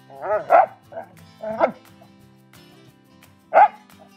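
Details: Domestic dog in obedience training, barking on command as the final step, with no toy in the trainer's hand. Three short, sharp barks come at uneven intervals over soft background music, with a trainer's brief spoken praise near the start.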